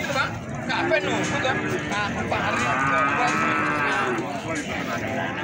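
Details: At the Plaosan livestock market in Magetan, a feeder bull gives a long, level bellowing moo lasting about three seconds, with a constant hubbub of traders' voices and market noise around it.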